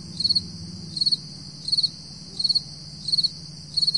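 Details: Early-morning crickets in July 2012, around 4 AM, with high pulsed chirps of three to four beats arriving about every 0.7 seconds, a constant insect drone behind and low background rumble.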